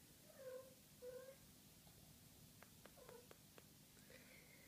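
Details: Maine Coon kittens at six weeks old giving two brief, high mews in quick succession, then soft clicks and a third faint mew in a quiet room.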